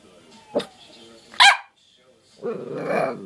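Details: An eight-month-old puppy gives two sharp, short yaps, followed by a stretch of human speech.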